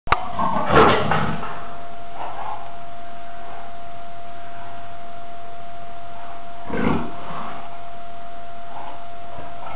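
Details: A captive Amur leopard waiting to be let out into its enclosure during a daily clean gives two deep, rough grunting calls several seconds apart over a steady hum.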